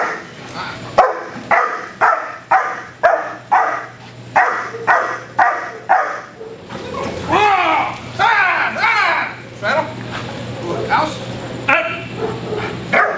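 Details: Cupid von Prufenpuden, a black German Shepherd protection dog with IPO 3 training and a proven stud, barks in a steady run of sharp, evenly spaced barks about twice a second, then a handler's shouted commands and music take over.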